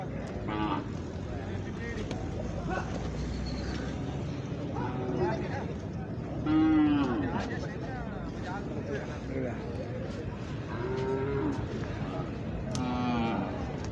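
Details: Khillar cattle at the Pandharpur Kartiki Vari bull market. A few brief lowing moos rise above a constant din of people talking and passing vehicles.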